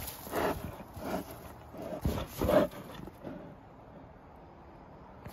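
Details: Kova, a young female polar bear at a zoo, playing in a grassy back-yard area of her enclosure, gives a few short, breathy grunts spaced about a second apart.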